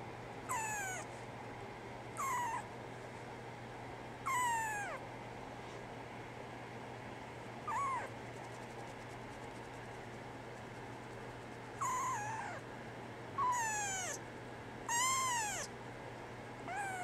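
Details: Brown tabby and white female kitten, born 24 December 2010, giving a series of short, sharply descending meows, seven in all, in two bursts separated by a quiet gap of several seconds, with a low steady hum beneath.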